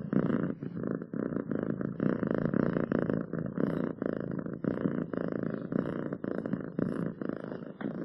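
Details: A purring cat, soft rolling rumble that swells and fades with each breath, cycles coming roughly every half second, quiet room otherwise.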